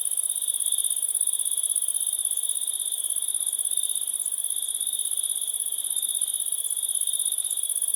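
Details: Continuous shrill cricket chirping: fast, regular pulses form two steady high-pitched bands, one very high and thin, one lower and ringing, holding level throughout.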